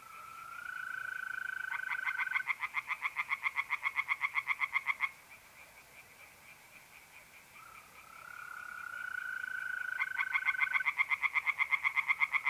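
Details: Tree frogs chorusing at night in a pond, north-east Italy, mid-April: loud bursts of fast pulsed croaks, about four per second, pause and resume, while mole crickets hold an even, continuous trill.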